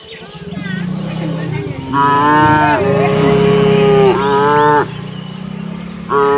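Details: A herd of village cattle heading to their barn: rumbling low sound, then two long harmonic moos, the second bending downward, followed by a shorter moo starting at the end.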